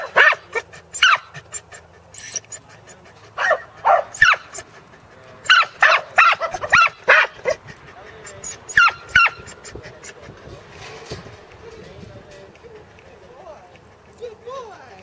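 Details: Two corgis, Teddy and Jack, on their second herding attempt with sheep at Island Crossing Farm in Arlington on 3/27/11. Sharp, high yapping barks come in quick clusters for about ten seconds, then thin out to faint scattered noises.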